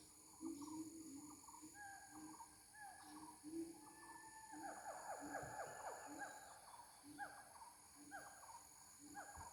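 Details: Mating gibbons, known locally as ungka: busy overlapping series of swooping, harmonic whoops that build into a dense burst mid-clip, then ease into spaced notes, with continuous high-pitched insect buzzing behind.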